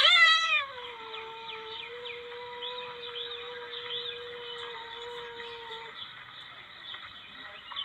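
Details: Palm civet sound used to lure civets. A brief loud, quavering yowl opens, then a long, level, nasal whine holds for about five seconds before fading into faint warbling.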